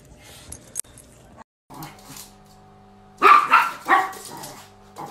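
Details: Dog in a home setting, from a funny pet compilation: after a quiet stretch with a soft low hum, two loud, sharp barks burst out close together, then fade. A person talks to the dog just before.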